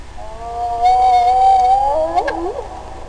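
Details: Spotted hyena calling alone or in a duet: a long, steady, tonal moan that rises slightly, then breaks into quick wavering, downward-sliding notes with overlapping voices, over a faint low hum.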